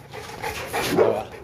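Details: A Boerboel, or South African Mastiff, kept in Egypt gives a short, low, yelping bark near the one-second mark, with soft room noise around it.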